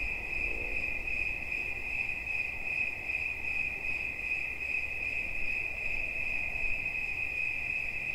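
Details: Cricket song for relaxation: an unbroken, shrill, fast-pulsed trill at one pitch, slightly wavering in strength, over faint low background noise.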